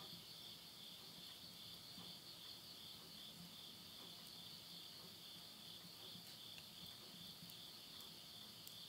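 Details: Midnight insect voices in the Japanese countryside of Yurihama, Tottori, in September 2020 at the close of summer: an even, piercing high trill holds steady, with faint crackling from burning wood in a stove.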